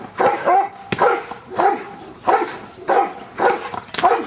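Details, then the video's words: Luther, a Giant Schnauzer, barking during Schutzhund work getting used to stick hits; loud, fairly even barks come roughly every two-thirds of a second, with a sharp crack of a stick hit near the one-second mark. "Luther Giant Schnauzer Schutzhund Stick Hit Work"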